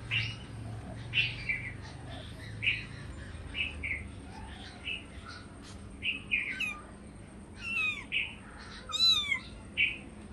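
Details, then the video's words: Hungry cats or kittens asking for food give short, high, squeaky mews in quick succession, then several longer arched calls that drop in pitch, over a faint low hum. "Hungry cats meowing compilation"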